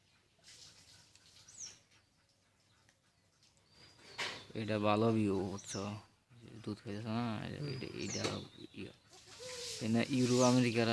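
Young goats bleat in high, quavering, wavering cries, with faint bird chirps above.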